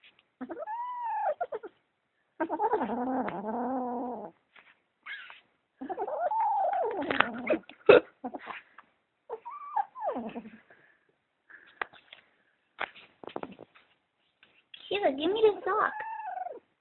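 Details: Kitten guarding socks it is possessive over, giving repeated wavering yowls and growly moans in irregular bursts, some rising then falling, with scattered clicks and rustles between calls.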